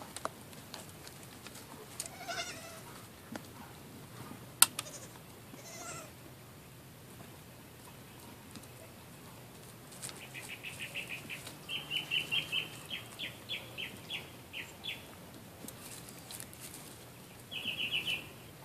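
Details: Young Nigerian Dwarf does and an older male Nigerian Dwarf, newly brought home: after quiet rustling, a run of short, high, bleating calls comes in quick succession, then one more brief burst near the end.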